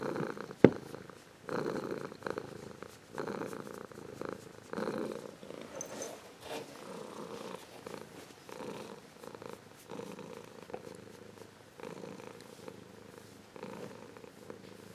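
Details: Warm purr from an adult Ragdoll cat that was once a kitten, close up indoors; rhythmic low rumbling in alternating inhale and exhale phases roughly every one to two seconds, with a sharp click at the start.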